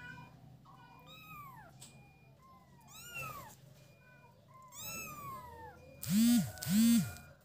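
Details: Kittens playing together: three thin, high meows, each sliding downward in pitch, spaced about two seconds apart, followed by two loud, low, booming thumps near the end.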